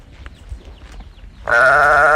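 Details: A calf searching for its mother: low background shuffling, then a sudden loud, strained bawl begins and holds steady until the end of the clip.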